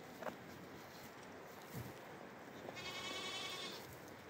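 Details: Goat kids bleating: after faint rustles and soft knocks, a single thin, high-pitched, quavering bleat lasts about a second near the end against a quiet background.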